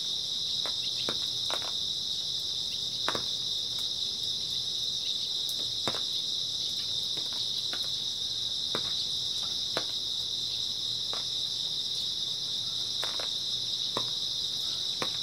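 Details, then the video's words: On an early autumn night, grass insects keep up a steady, piercing high-pitched chirring drone for the whole stretch, while sporadic soft knocks and clicks sound irregularly beneath. "초가을 밤부터 새벽까지 백색소음 풀벌레 소리"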